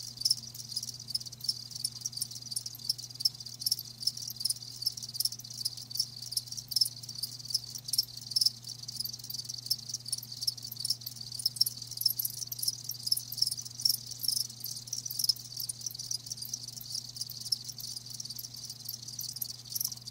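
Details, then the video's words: Live crickets in a chorus of dense, high chirps overlapping continuously with no pause, a steady low hum underneath throughout. "Live Crickets 60min "Natural Sound""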